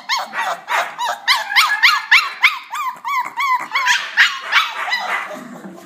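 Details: Puppies interacting, giving a rapid run of high yips and whimpers, each arched up and down in pitch, about three or four per second, overlapping one another without pause.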